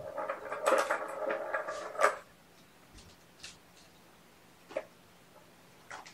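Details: Sleepy domestic kittens waking gently from a nap indoors on weigh-in night: a drawn-out, mid-pitched meow with rich harmonics lasts about two seconds, followed by soft scattered clicks and rustles in a quiet room.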